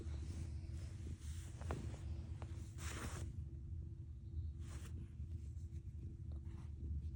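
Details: Cat purring with a deep rumble likened to an engine, a steady low throbbing drone held throughout with faint pulsing, interrupted by a few brief rustling noise bursts near the middle and later on.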